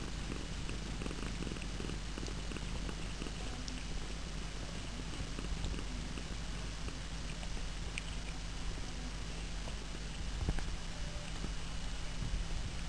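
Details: Household cats purr with a constant deep hum, steady and unbroken, over faint background hiss and a few soft clicks.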